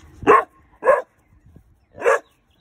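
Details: Weimaraner puppy, male and under five months, on alert for an intruder: two sharp barks close together, a silent gap, then a third bark.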